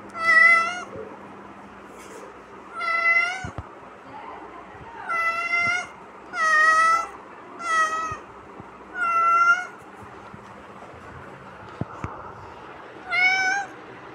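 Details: Kitten meowing persistently, seven loud, high, tonal mews in quick irregular succession over fourteen seconds, each short and slightly falling at the end, in a quiet setting with occasional clicks.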